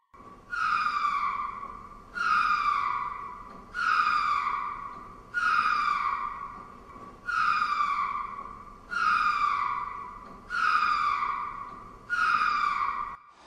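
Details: Ring-tailed lemur calling: a series of eight harmonic, whining cries, each sliding downward in pitch and lasting about a second, repeated at a steady pace roughly every one and a half seconds, with a quiet background.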